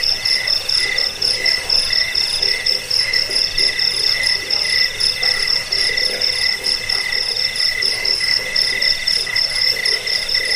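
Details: Cricket chorus put forward for driving off rats, lulling listeners to sleep and training birds. Rapid, dense pulsing chirps overlap in several high-pitched layers, forming a continuous shrill buzz with no other sounds.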